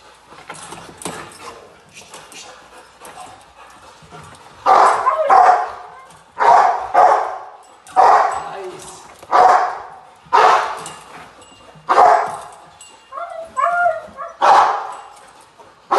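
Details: Gypsy v LordsNLadies, a Rottweiler, in protection training post work, July 8, 2021. After a quieter start with talking, powerful barks ring out steadily about once a second, each strong burst trailing off before the next.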